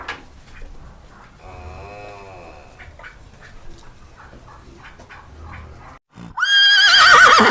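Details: Farm horse giving a soft, low nicker early on, then after a pause a sudden loud, high whinny with a shaky, quavering tone that ends the clip.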